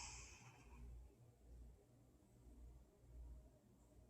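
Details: Moe, an 11-year-old male cat, sleeping indoors and snoring: soft low rumbling breaths repeating roughly every second and a half, with a brief higher hiss at the start.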